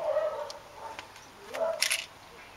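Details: Maine Coon cat giving short tonal mews, two brief mid-pitched calls with a faint rising sweep between them, ending in a sharp click-like noise near the end.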